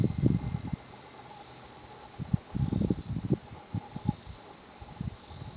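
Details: Higurashi cicada singing at Shinhocchian, a quiet natural spot, its 'kana-kana-kana' song heard as a faint, steady, high shimmering band with slight pulsing, over low irregular thumps and rumbles.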